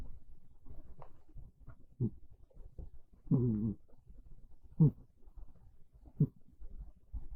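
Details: Domestic cat snoring softly indoors while asleep on a bed in the early afternoon of a cold, rainy day. Low, raspy breaths with louder snorts roughly every one and a half seconds. Faint, quiet breathing fills the gaps.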